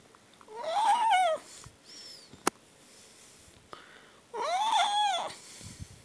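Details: A pet cat, called a talking cat that demands food, gives two long drawn-out meows with a rising then falling tone, each about a second long, separated by a pause with a faint squeak and a sharp click.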